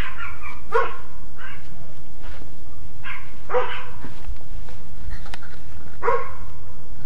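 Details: Dogs barking at night, 11:02 pm on May 30, 2010, near a living room window: three sharp harsh barks about every 2.7 seconds over a steady low hum.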